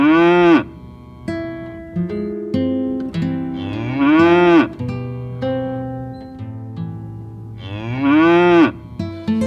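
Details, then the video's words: A cow gives three loud, drawn-out moos about every four seconds, each arching up and falling back, over soft guitar music. "sounds of cow"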